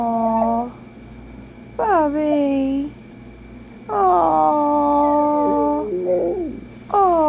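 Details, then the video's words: Dachshund howling in bursts about two seconds apart, each a wavering tone that dips and falls, with layered overtones and a steady background hum. "Dachshund howling"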